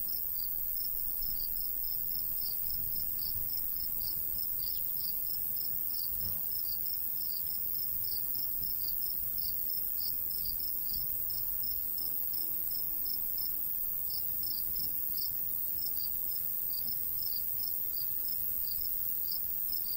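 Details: Crickets calling in a summer wheat field in the countryside, a long unbroken run of rapid high chirps with brief gaps, over a faint low breeze.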